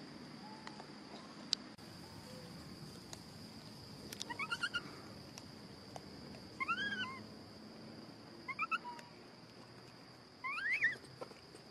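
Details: Pampered little macaque whistling angrily when he disagrees: four short, arched, harmonic whistles, each rising then falling, come in small clusters about every two seconds over a steady hiss and faint background noise.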